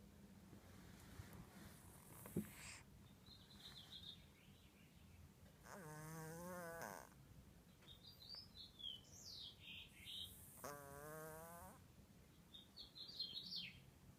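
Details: Pet kitty asleep and snoring: two drawn-out, low, buzzy, ribbed snores about four seconds apart, each lasting roughly a second and a half, with high twittering bird chirps between them and a soft thump near the start.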